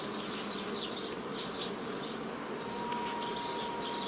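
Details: Honey bees during old-style formation of nucleus colonies from a previously formed forager swarm, 15 May 2018; a dense, continuous buzzing of many bees with a steady low hum, faint chirps overhead and a thin steady tone entering midway.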